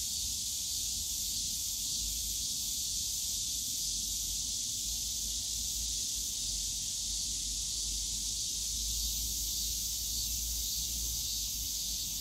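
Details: Cicadas singing on a summer day in the bamboo forest of Yongsan Family Park: steady shrill hiss throughout, with a deeper low hum of park noise rising and falling under it.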